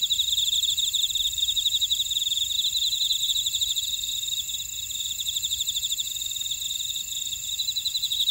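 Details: A dense chorus of grass insects fills a buckwheat field in Oradong, Jeju City, South Korea: unbroken high-pitched ringing layered with quick, regular pulsed chirps that continue evenly throughout.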